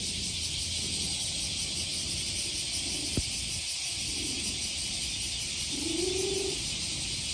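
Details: Petted by hand in summer, a handsome stray male cat utters one short, gentle mew near the end, nearly drowned by the continuous shrill cicada chorus.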